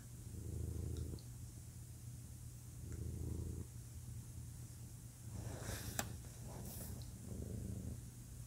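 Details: Low rumbling purr from a male pet cat, swelling in rhythmic breath-timed bursts, with a few brief rustling or shuffling noises partway through.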